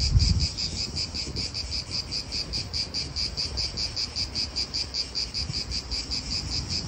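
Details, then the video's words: Pulsing cicada chorus in an Italian park, rapid regular high buzzy beats, over a background of wind and distant car noise; a brief low thump at the start. "italian park ASMR Cicadas wind real atmosphere in an Italian park birds"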